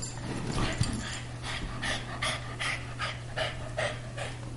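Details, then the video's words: A greyhound and a Boston terrier at play, a daily habit of the two dogs; quick breathy pants repeat about every half second over a steady low hum. "Greyhound playing with Boston Terrier"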